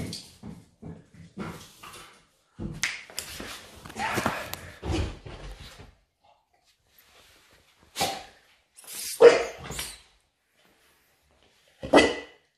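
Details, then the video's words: Playful dogs of the Patterdale, fell terrier, smooth-coated Lakeland or Estacado type at play indoors: short barks and whimpers in scattered bursts, then quiet gaps and a few louder yelps, with a person calling to them. "PLAYING PATTERDALE FELL TERRIERS SMOOTH COATED LAKELAND DOGS"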